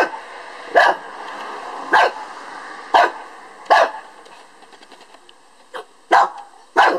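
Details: A Lhasa Apso gives short, sharp single yaps roughly every second with brief pauses, barking at a beetle; faint background hum beneath.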